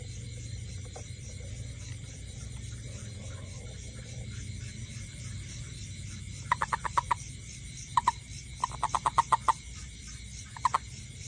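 A toad gives short bursts of rapid, clicking pulses over a steady background hum.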